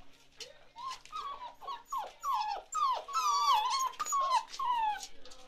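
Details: Chocolate Labrador Retriever puppies at 47 days old, Ruby's litter; rising then falling whiny whimpers, drawn-out and tonal, repeated about twice a second and growing louder toward the middle.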